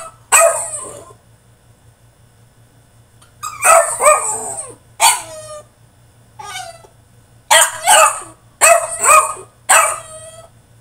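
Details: French Bulldog throwing a tantrum inside his cage, firing loud, rough barks mixed with yelping cries, grouped in bursts with short pauses, growing denser toward the end; a low hum runs beneath.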